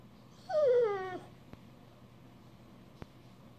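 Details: Australian Shepherd whining to ask for petting indoors: one loud, high, tonal whine lasting under a second and sliding steadily downward, followed by quiet room noise and two soft clicks.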